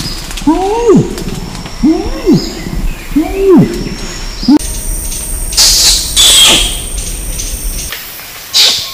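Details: Orangutan calling: three arched squealing notes that rise and fall, spaced about one and a half seconds apart, followed by noisy bursts and a steady high tone.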